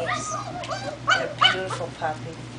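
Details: Whining cries from four-week-old German Shepherd pups on a first outing, bending whimpers in quick succession mixed with human speech over a faint low hum.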